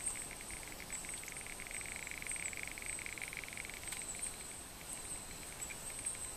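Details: Male Barrington's tree frog giving a soft purring sound while wrestling a rival male: a fast, buzzy train of pulses held steady for several seconds, fading near the end, over a constant high insect-like hiss.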